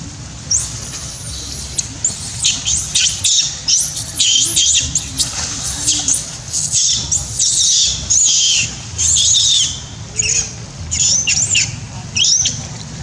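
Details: Monkey Sherri crying loudly, angry and frightened, while Dydy fights orphan Jessie: a run of shrill, high squealing screams in rapid bursts, some rising then falling, with short gaps, over a low rumbling background hum.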